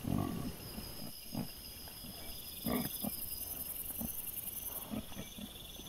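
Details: Wild boar piglets recorded by a trail camera on 25 September 2024 make brief low grunts and snorts at irregular intervals, over steady high-pitched background noise.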